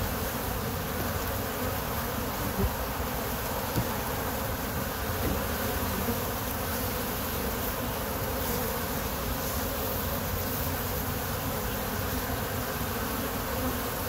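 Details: A steady, dense drone of many honey bees buzzing together, low and continuous.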